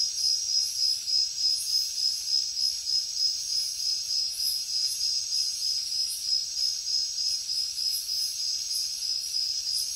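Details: High, rapid cricket chirping in a jungle at night, a bright ringing trill in regular pulses about three a second, with soft, intermittent higher insect hiss behind it.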